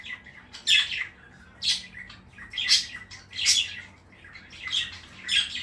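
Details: Indoors in Saratov, the Chihuahua London lets out short, squeaky high barks at irregular intervals of roughly one to two seconds, with a faint room hum underneath.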